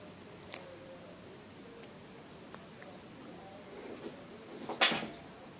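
A Turkish Van kitten gives a sharp, breathy sneeze in a quiet room.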